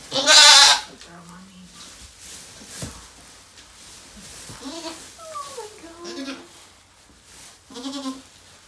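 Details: Goat bleats during the birth of four kids to Maybel, a rescued doe at Goats of Anarchy: short, nasal harmonic calls, some wavering up and down, after a loud opening burst, with women's soft excited voices indoors.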